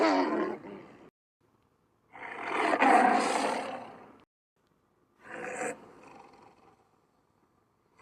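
A Sumatran tiger gives harsh, rasping roars in separate bursts, each lasting about a second or two.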